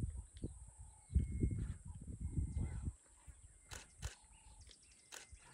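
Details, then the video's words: A male lion, one of a coalition met on a morning game drive in Zambia's Lower Zambezi National Park as the day heated up, gives a deep, rough run of pulsing grunts lasting about two seconds, a strange noise rather than a roar. "Have you heard a lion make this noise before?!"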